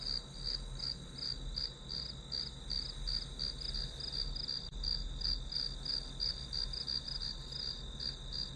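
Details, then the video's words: Study-session ambience of grass insects: an unbroken high ringing note broken into even pulses near three each second, with a faint low drone throughout. "풀벌레 소리"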